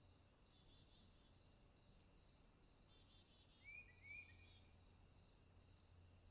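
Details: Natural insect sound on a summer day, a thin continuous high drone with faint rhythmic pulsing, briefly joined by two short rising whistled notes from a bird.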